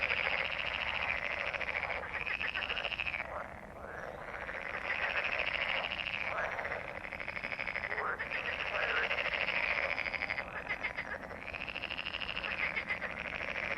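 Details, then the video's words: A chorus of frogs gives continuous fast, rattling croaks in repeated arching waves, each lasting two to three seconds, with one brief quieter gap near the fourth second. "Frogs croak/ Rechot żab/ Frösche quaken"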